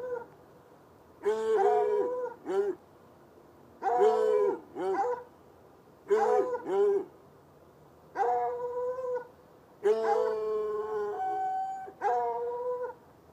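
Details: Night recording of two chained hounds, one white, one dark, in brush next to an irrigation ditch about 10 yards away; insistent musical bays with short yelping syllables, steady bouts broken by brief pauses.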